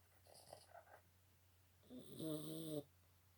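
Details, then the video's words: Big snore from a Boston Terrier: a soft rattling breath first, a pause, then one loud drawn-out snore with a buzzing, gravelly tone lasting about a second. "Boston Terriers big snore."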